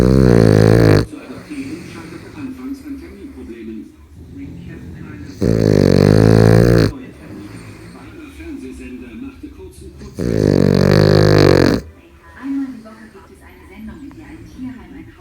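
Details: Small Cavalier King Charles Spaniel snoring remarkably loudly: three deep, rumbling, harmonic snores, each about a second and a half long and spaced roughly four to five seconds apart, with quieter television speech between them.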